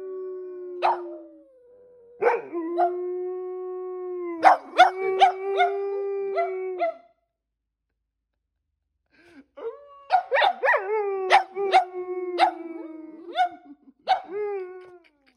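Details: Prompted by a person's howl, pet dogs Percy, a black and white Boston Terrier, and Bear, a German Shepherd-Black Lab mix who rarely howls, let out long drawn-out howls broken by yips, pausing briefly before howling together again.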